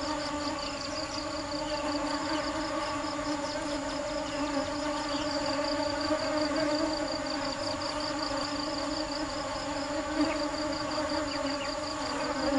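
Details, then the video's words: Foraging bees gathering sweet nectar hum in a dense, steady drone with bright overtones, while a quick, evenly pulsed high chirring runs on throughout. "Tiếng kêu và hình ảnh những chú ong chăm chỉ tìm mật ngọt"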